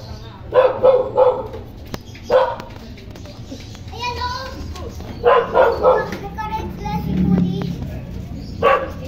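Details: Toy poodle kept for stud service in Quezon City, Philippines, giving sharp barks in short clusters of two to three near the start, middle and end, with people talking and faint background music between bursts.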